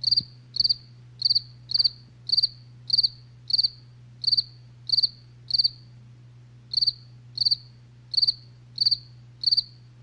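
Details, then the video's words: Night chorus of crickets, each chirp a short burst of a few high, rapid pulses, repeated roughly every half second with a brief pause midway, above a constant low electrical-sounding hum. "SONIDO DE LA NOCHE | grillos relax"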